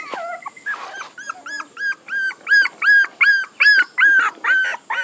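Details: Puppies whine in a run of high, arched, rising-then-falling cries, about two or three each second, growing louder and more regular after a few softer mixed whimpers at the start.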